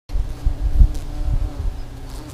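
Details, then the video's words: Hundreds of bees gathered in a tree in spring make a brief, low, dense droning hum that swells and fades in soft pulses. "Buzzy Bee in my Tree"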